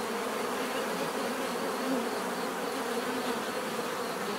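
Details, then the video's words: Many bees buzzing together in nature, a thick steady drone without pauses; individual wingbeat tones rise and fade within the mass, and a louder bee passes near the two-second mark. "bees therapy relaxing natural buzzing sound"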